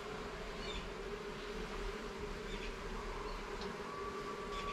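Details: Steady hum of honey bees during a hive inspection in a garden, the drone unbroken over a deeper rumble, with a thin sustained higher tone appearing near the end.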